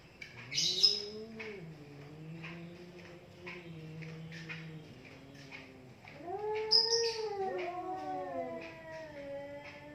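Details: Two cats in a fight, low moaning growl held for several seconds followed by rising and wavering howls, quieter, with a couple of sharp hissing bursts.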